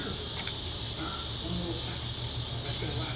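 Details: Mississippi Valley Brood (Brood XXIII) 13-year periodical cicadas heard on a June 2015 summer evening: continuous high, buzzing drone holding steady throughout, with a few faint chirps and quiet human talk in the background.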